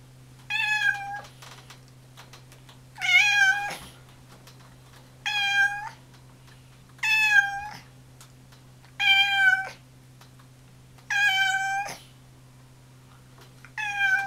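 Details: Household orange tabby cat calling repeatedly, seven short, clear meows spaced roughly every two seconds, each with a slight upward bend, a low constant hum beneath.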